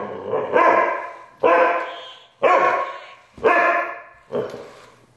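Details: Siberian Husky letting out five loud, harmonic, yowling cries, each under a second, about once a second in a steady run.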